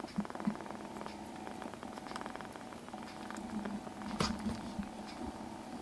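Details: A foster kitten in a quiet room purrs in a low, even drone, with a sharp rustle or bump near the end and light shuffling sounds.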